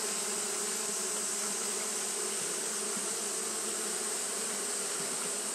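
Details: On a hot day, Japanese honey bees keep up their fanning: an unbroken low buzzing drone with a clear harmonic above it. A continuous high-pitched hiss runs throughout.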